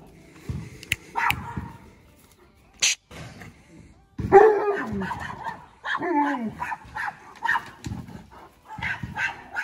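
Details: Alaskan Malamute protecting his territory when another dog shows up: scattered barks, then a loud drawn-out howling bark and wavering whining yowls, with a sharp click and a brief high squeak.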